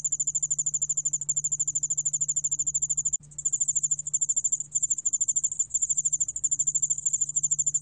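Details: Yeoul-allak-bangul cricket song from a 2020 National Institute of Biological Resources recording: a thin, very high, rapidly pulsed trill that runs continuously, briefly breaking off around three seconds in before resuming, over a faint low hum.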